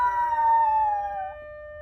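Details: Black poodle reacting to a siren with a single drawn-out howl that slowly slides downward in pitch and fades, heard over a constant steady tone running underneath.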